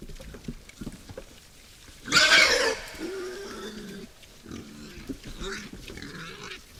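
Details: A sudden harsh squeal lasting under a second breaks out among wild boars at a nocturnal forest feeder, followed by softer, nasal grunts.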